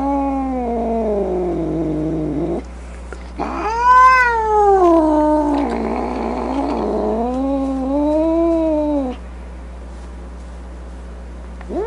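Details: Grumpy, angry domestic cat producing long drawn-out wailing meows with strong harmonics, rising and falling in pitch, several calls in a row with a harsher snarling stretch in the middle; faint steady low hum underneath.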